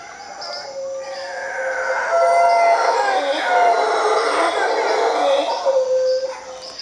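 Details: Howler monkeys in Costa Rica, a group gathered in one tree, produce loud, moaning roars that rise to a peak near the middle and ebb. Insects whine in the background.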